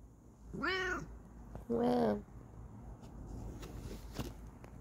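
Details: Two meows in quick succession from Kokoa, a Bengal cat indoors: first a high arched harmonic meow, then a lower, steadier drawn-out mew, with quiet room hiss and a faint click afterward.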